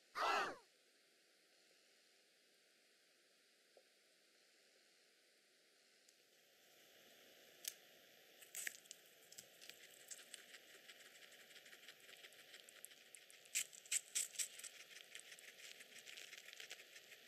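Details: A male Teddy guinea pig chews vegetables and fruit such as shiso, strawberry, bean sprouts, parsley and banana, heard as soft, crisp crunching clicks over steady background hiss with some stray noises.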